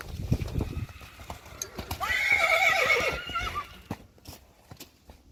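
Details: Two-year-old Friesian horse colts playing in the mud, filmed March 3, 2020; a loud harmonic neigh about one and a half seconds long, wavering and then falling, amid squelching hoof splashes and thuds.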